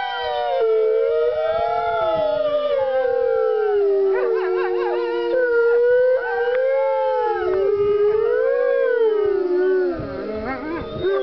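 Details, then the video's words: Chorus of wolves at the California Wolf Center on the Fourth of July, howling in an area without fireworks: many overlapping sustained, sliding howls, rising and falling, with higher yipping voices weaving over a steady lower tone. "California Wolf Center wolves howling"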